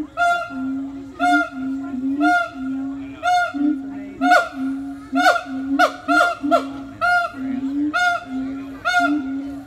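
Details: Siamang apes' mating calls: loud, honking, harmonic notes with sharp ringing bursts on top, repeated about once a second in an uneven, insistent rhythm over a sustained low tone.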